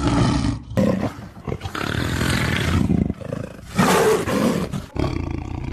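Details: Tiger voice in short spliced pieces: deep, rasping roars and snarling growls, loud bursts of one to two seconds alternating with brief dips in volume.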